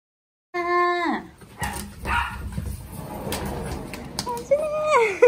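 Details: Miniature Pinscher greeting its owner after three days apart: a high, descending whimpering whine opens, then scuffling and rustling, and finally a run of squeaky, rising and falling whines.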